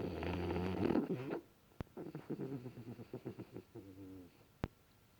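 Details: Sleeping French Bulldog snoring indoors: a long rasping inhale, then fluttering, snuffling breaths in quick pulses, with two sharp clicks.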